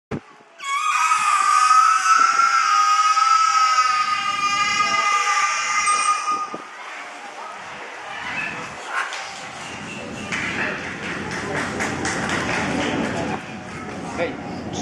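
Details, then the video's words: A whale "talking" at Miami Seaquarium: a long harmonic tonal call lasting about six seconds, rising slightly and then holding steady. Crowd noise and voices follow once the call ends. "Whale Talking"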